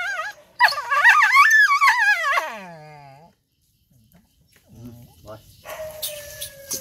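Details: Hurt dog giving a long, high wavering cry that rises and falls before sinking into a low groan, followed by quieter whimpers while a man speaks soothingly.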